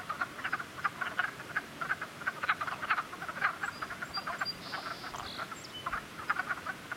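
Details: Group of frogs croaking in spring, short clicking croaks in quick irregular bursts from several callers at once, fairly loud, with a faint whistly tone appearing briefly near the end.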